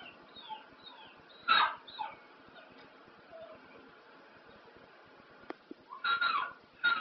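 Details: Pet dog howling along to the old ELO song Telephone Line: two short wavering, whiny howl bursts, one early and one near the end, over steady background music.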